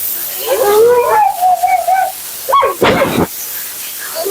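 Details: Mila, a vocal female Siberian Husky being bathed at her second groom, gives a drawn-out, wavering howl-like utterance lasting about one and a half seconds, followed by a short yelp and clattering, splashy grooming noises.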